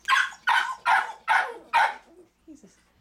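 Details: Five strong, rough dog barks at about two per second, followed by a faint whine, where ever-alert mother Ally guards her ten-day-old litter of four black males.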